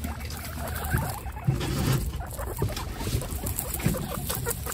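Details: Pet guinea pigs, part of a group of 29, roam during cage cleaning; short low chuts and squeaky bursts come irregularly over a constant low background hum.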